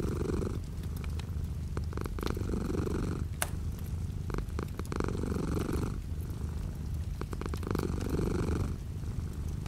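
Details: Purring house cat beside a window with light rain outside, a low throbbing rumble in repeated inhale-exhale phases about every two to three seconds, over quiet steady rainfall.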